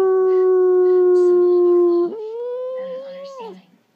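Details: Pet dog howling when prompted by its owner: a long, steady, clear howl with rich overtones, then a slightly higher, wavering note that fades out after about three and a half seconds.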